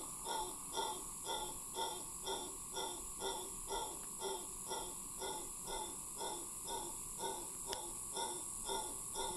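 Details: A howler monkey in Cahuita Park, Costa Rica, gives a long howl: a run of deep, rhythmic grunting roars, about two each second.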